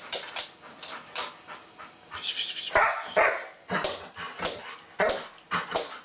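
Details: An indoor Golden Retriever fixated on a bristlenose catfish whines and yelps in a rapid, uneven series of sharp bursts, some high and strained, showing its urge to play with the fish, which it does every time it sees it.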